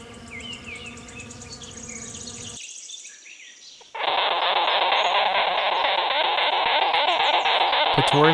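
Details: Wasp buzzing: a loud, steady, dense buzz that begins abruptly and continues unbroken for several seconds, preceded by a separate stretch of other layered sound and a brief pause.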